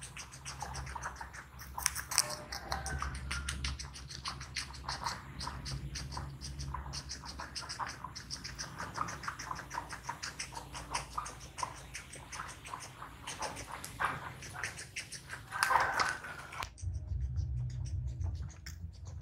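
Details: Small guinea pig eating, recorded close up for ASMR: dense, rapid crunching and scratchy clicks through most of the clip, a brief louder burst near the end, then the chewing stops over a low steady hum.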